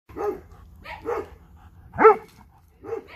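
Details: Dog, one of a Dobermann and a Boxer, wanting to play with a ball: four short, sharp barks about a second apart, one louder, higher bark in the middle, over a quiet indoor background.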